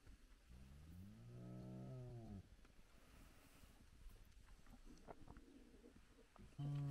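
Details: Spotted hyena of a big clan at its den, cubs active nearby, morning at sunrise. A single low, wavering moan rises and falls over about two seconds, then faint background; another call begins at the very end.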